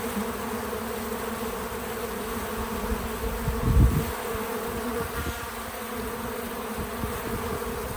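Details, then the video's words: Bees at a feeder outdoors on a small farm: a constant soft wing hum, interrupted midway by a brief low thump or rustle, then the drone continues. "Relaxing Bees at the Feeder 🐝 | Natural Buzzing Sounds"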